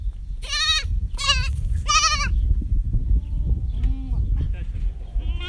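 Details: Goats at a goat yoga session on a ranch in Brighton give three loud, quavering, wavering bleats in quick succession, followed by people talking and chatting nearby.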